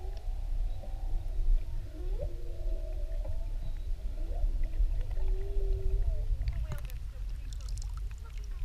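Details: Whale recorded underwater off Maui with a GoPro: faint moaning and whooping tones sliding up and down, some held steady, over a heavy low rumble of water and boat noise, with crackles near the end.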